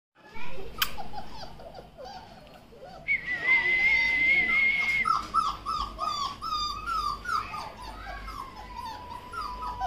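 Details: Labrador Retriever puppies in Pune, Maharashtra: many high, thin whimpers and yips overlapping, with a long steady whine in the middle and rising, wavering cries afterwards.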